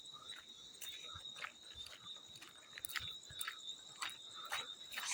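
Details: Field cricket giving a high, unbroken ringing trill beneath a series of water splashes recurring roughly every half second to second.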